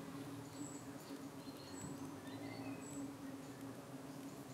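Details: UK honey bee hive under evening attack by parasitic flies, the bees fending them off; a continuous low buzzing drone dominates, broken only by a few faint, high bird peeps in the background.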